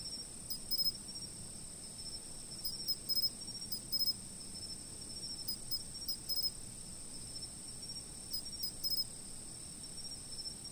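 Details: Insects singing before a stationary camera: a continuous high ringing tone holds steady while clusters of sharp chirps break in irregularly, with longer quiet gaps between clusters.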